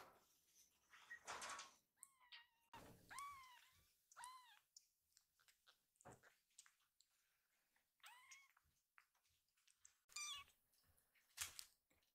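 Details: Rescued baby kittens indoors, excitedly rushing to their caretaker as she enters the room; a few short, high arched mews scattered among rustling, bumps and handling noises.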